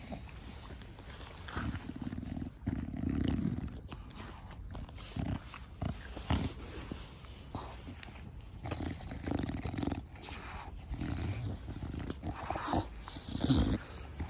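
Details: Da Vinci, a pet bulldog, a short-nosed breed, heard in a garden with rough, low snorting breaths in uneven bursts, some louder grunting puffs between quieter noisy stretches.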